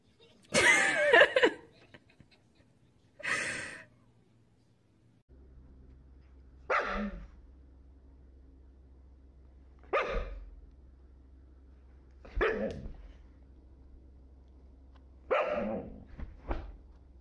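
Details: A dog barks in short, harsh bursts, single barks separated by pauses of two to three seconds, with a low steady hum in the background.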